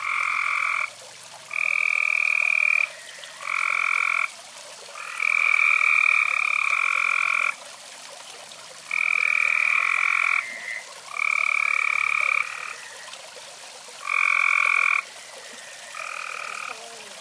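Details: A few frogs croak near a fireside in repeated buzzy bursts of one to two seconds, nine or ten calls with short silent gaps, steady and evenly loud throughout.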